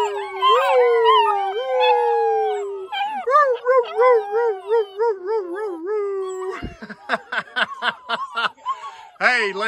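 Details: Black German Shepherd puppies, ten young pups, howl together in long wavering tones that slide downward, then break into a rapid rising-and-falling 'woo-woo' chorus, ending in short choppy yelps and overlapping cries.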